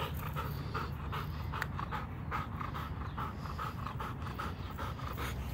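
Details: Rowdy, a young Labrador Retriever, panting during yard training on three-legged patterns: steady, breathy bursts roughly three per second with a low wind rumble underneath.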